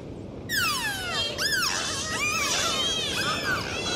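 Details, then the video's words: Dolphins recorded underwater on a dive: after a brief silence, loud overlapping whistles sweep down and arc up and down in looping curves, several callers layered with rich harmonics over a steady watery hiss. "Sound of Dolphins"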